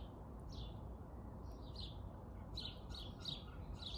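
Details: Squirrel Jimmy makes a few thin descending chirps, then a quicker run of clipped notes near the end, with low rumbling noise underneath throughout.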